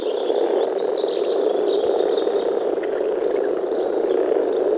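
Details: Deep grumbling of many male common frogs (Rana temporaria) mating in a small forest pond in early spring, a steady, dense murmuring chorus without pauses, with faint high bird notes drifting in the background.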